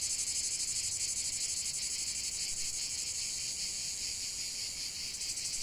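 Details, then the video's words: Singing cicadas forming an unbroken high-pitched rasping drone, throbbing in quick regular pulses, with a second buzzing voice swelling near the end. "45 min de chant des cigales"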